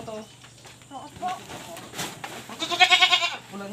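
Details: Pregnant goats on a backyard farm in the Philippines; a wavering, harmonic bleat swells loudly near the end, with earlier shorter bleats and people talking in Tagalog.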